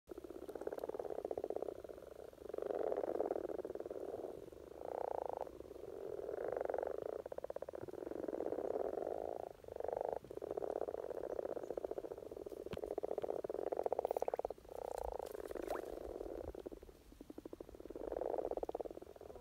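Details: Common frogs (Rana temporaria) in a spring courtship chorus in Norway: low purring croaks massed into a continuous rumble, swelling in bursts roughly every one to two seconds, with brief lulls between.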